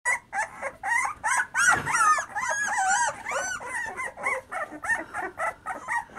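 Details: Terriers, black terriers and Irish Soft Coated Wheaten Terriers from a kennel, giving rapid high whining yips and whimpers, about three per second, rising and falling in pitch, several overlapping voices.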